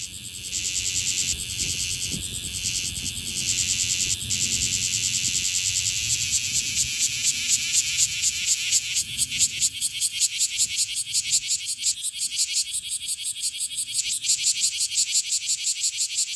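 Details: Bear cicada (Cryptotympana facialis), an Okinawan cicada, calling hard at close range: a loud, dense high buzz that shifts into rapid rhythmic pulsing, about two pulses per second, with faint low background rumble.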